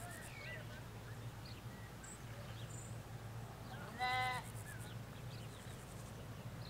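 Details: Sheep, ewes with lambs, in a field in the Hampshire countryside: one short, wavering bleat stands out, with small birds chirping and a low hum from a road in the background.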